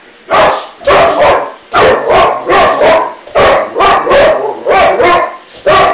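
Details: Boxer dog squaring up to an iRobot, barking steadily and forcefully, about eleven deep, rough barks over six seconds, often paired in quick doubles, with little other sound besides a low background hum.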